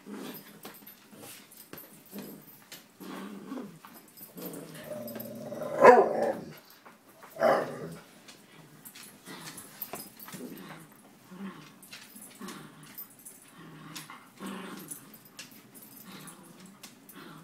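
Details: Vicious poodle in a small room, growling steadily in low rough rumbles, broken by two louder, sharper barking outbursts near the middle, then settling back into intermittent grumbling growls.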